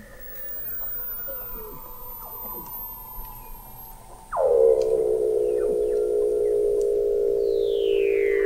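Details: Weddell seal vocalizing beneath the sea ice of McMurdo Sound, Antarctica, recorded November 2017 by an observatory 21 m under the ice: a loud, rich, low tone sweeping sharply down then holding steady, following softer gliding tones, with a high falling whistle at the end.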